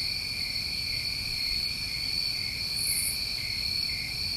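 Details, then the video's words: A night chorus of New England crickets in summer, steady high-pitched trilling throughout, with one brief hiss-like burst near the top of the range midway through. "Over 1 Hour Of Tinnitus Masking With Crickets"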